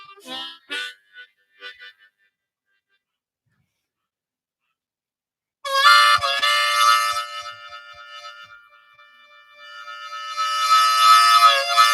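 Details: Brief indoor sounds at the start, then several seconds of silence, followed by sustained harmonica music with steady held chords that fade and swell again; no animal voice.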